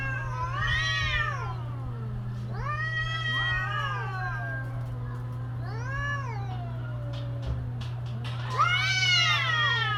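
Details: Cats caterwauling in mating season, four arched wailing calls that climb and fall, the last one loudest and highest, with a few faint clicks between them and a continuous low hum underneath.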